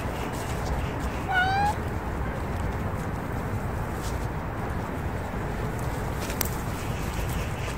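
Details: Street cat blocking the path gives one short, rising meow with clear overtones, lasting under half a second, over a steady low background rumble.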